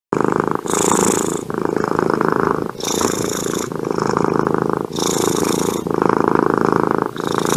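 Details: Domestic cat purring with pleasure: a steady, close, rumbling purr in long alternating breaths, each phase lasting about one to two seconds, with brief soft gaps between them and no other sounds.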